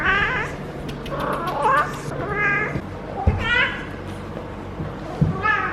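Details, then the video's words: Feral female cat in her first heat cycle, rolling while petted at the base of the tail, gives drawn-out harmonic yowls that rise and fall, several in a row, with a human voice and household noise in the background. "Feral Cat in HEAT makes UNBELIEVABLE Noises!"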